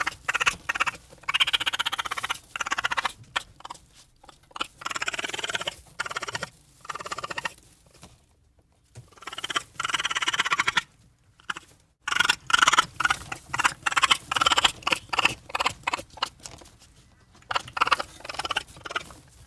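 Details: Raccoon giving rapid, broken chittering: short scratchy bursts in quick clusters, with brief silent gaps between runs and a harsher, denser stretch near the end.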